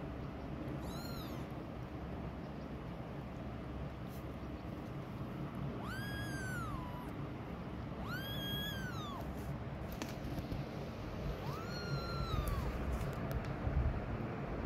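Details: Mother cat walking away from her hidden kittens, protective of them and herself. Four drawn-out, arching meows with rich harmonics, spaced several seconds apart, over a steady low rumble of background noise.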